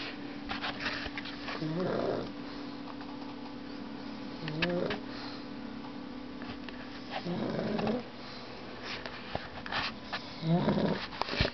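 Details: Dog snoring indoors: four raspy, throaty snores about every three seconds, each a short rough burst with a low buzzy pitch, separated by quiet breathing and steady background hum.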